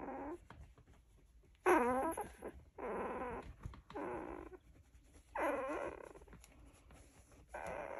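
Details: Sleeping, snuggling Golden Retriever puppies make cute sounds: several drawn-out, wavering whines and grumbling moans, each under a second, separated by quiet pauses with faint rustling.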